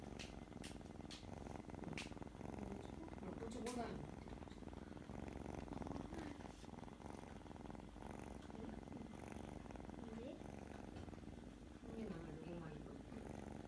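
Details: Kitten purring steadily while being petted on the forehead indoors, a continuous low rumbling throb throughout, with soft murmured human voices and a few faint clicks over the top.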